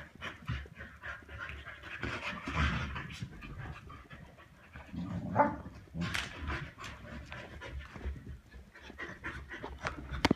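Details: Pet Samoyeds play fighting over their favourite soft toy cow indoors. Quick, rough panting runs through the scuffle, with a short whimpering note near the middle and sharp knocks and rustles from the play.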